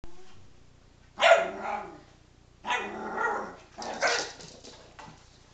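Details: Sadie, a pet dog, pestering and nipping at another dog named Ginger's rear; three short, harsh, rasping barks or snarls burst out about a second and a half apart, each fading quickly into a quiet room.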